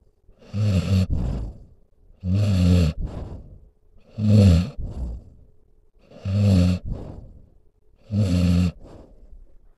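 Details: A dog fast asleep snores loudly and rhythmically, five coarse, low, vibrating inhales about two seconds apart, each ending in a soft whooshing breath out.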